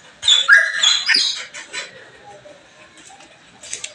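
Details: Belgian Malinois on a morning of cleaning lets out a loud, shrill, wavering whine with rapid pitch wobbles in its first second and a half, then fades to quiet background rustling and two faint squeaks.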